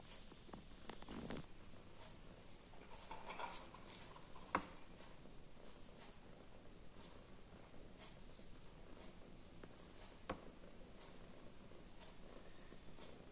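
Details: A female cat, torn between playing and sleeping, purrs softly and steadily at a low pitch throughout, with occasional faint clicks and taps in a small indoor room.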